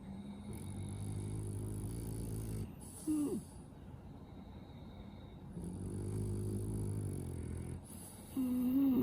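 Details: French Bulldog asleep and snoring through a blocked, snuffly nose: long low buzzing inhalations with layered harmonics, each ending in a brief squeaky nasal whistle, two cycles heard against faint steady hum.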